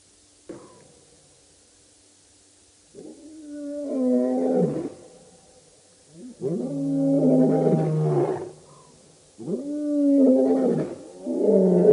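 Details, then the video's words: Birmingham Boys coalition of lions at a dam in Djuma Game Reserve, Sabi Sand, South Africa, August 2016: long, moaning roars rising then falling, several voices overlapping in three swelling bouts separated by quiet pauses. "Birmingham Boys roaring at the dam"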